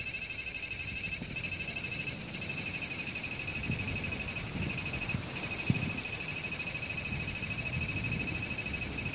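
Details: One cicada sings a sustained, piercing, rapidly pulsed buzz that wavers slightly in strength, accompanied by soft low rumbling and an occasional faint click.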